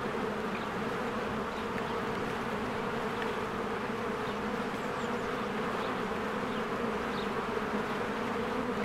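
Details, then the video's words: Many bees work busily at a cozy hive in spring, caught on a Canon EOS R. Their unbroken, thick humming drone carries on while scattered faint, brief high bird chirps sit above it. "1 Hour of a Beehive ASMR"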